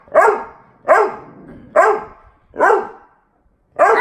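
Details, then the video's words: Boxer puppy play-fighting with his big sister: five loud, sharp barks, each roughly a second apart with a short fading tail, a brief pause before the last. "BOXER PUPPY VS BIG SISTER!"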